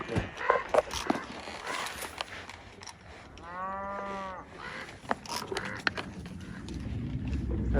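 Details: On a desert range with cows, a calf gives a single drawn-out, low moo, calling to find and rejoin its mother.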